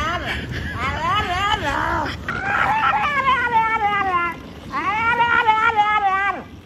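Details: Frenchie, a male French Bulldog, yelling and "talking" out loud while pushed in a baby stroller down a street: long, wavering, whining howls that bend up and down in pitch, in three drawn-out phrases over outdoor street noise.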